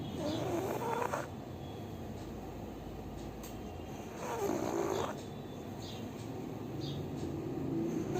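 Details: A sleeping pug snores steadily, a continuous low rasping drone with rhythmic swells, louder passages near the start and middle, and faint whistly overtones on some breaths.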